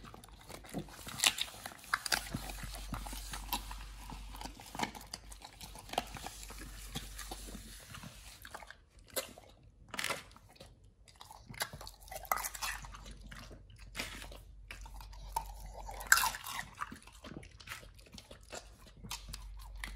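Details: Pit Bull eating a raw meal of sole, silver pomfret, Indian mackerel, duck feet and quail eggs indoors: irregular wet crunching, biting and chewing bursts with brief pauses and a low steady hum.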